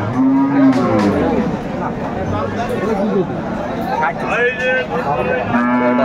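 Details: Dairy cows and calves for sale at the Aftabganj cattle market: a sustained low moo opening, a second one near the end, with dense crowd noise and voices between them.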